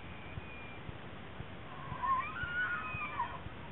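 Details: Bull elk during the annual rut in Rocky Mountain National Park, gathering cows in a mating ritual; a thin, high whistled bugle rises and wavers for over a second above faint low thumps and a steady background hiss.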